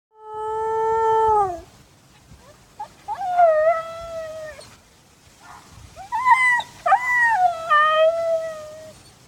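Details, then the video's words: A Siberian Husky in Madison, Wisconsin, hears a dog barking down the street and answers with long, mournful howls, first steady, then wavering and sliding downward. "Husky howls to neighbor dog down the street"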